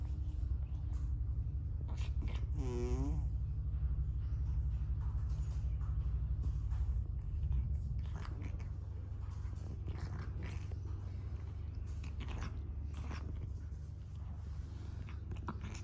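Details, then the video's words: Negresco, a pet cat in the middle of his daily grooming, lets out an unusual noise: a short, wavering warble with a wobbling pitch, about half a second long, over a steady low rumble and soft licking clicks. "No Other Cat Makes THIS Noise While Grooming!"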